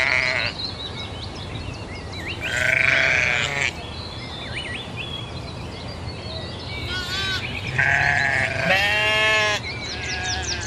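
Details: Several sheep bleats: a long quavering cry near three seconds, then two overlapping bleats around eight to nine and a half seconds. Birds twitter throughout, and a steady low background hum is heard.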